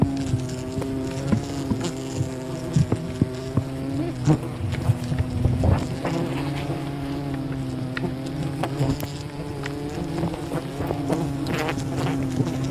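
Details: Bees of a wild colony during honey hunting, a dense steady droning hum with a strong low tone and layered harmonics, broken by frequent clicks and knocks.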